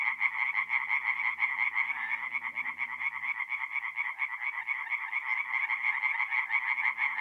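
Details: Singing tree frogs in a forest pond by night, mid-April, north-east Italy: rapid repeated croaks from many callers form a steady throbbing chorus, faint low rumble fading after three seconds.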